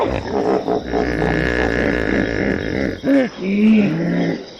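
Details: Howling hippopotamus: a sustained deep, buzzy rumbling groan, followed by two short honks that rise and fall near the end.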